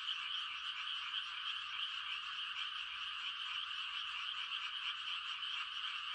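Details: Frogs on a quiet country night, rice-planting season, calling to mate: a steady, dense high-pitched trilling chorus throughout, evenly pulsing with no separate nearer voices standing out.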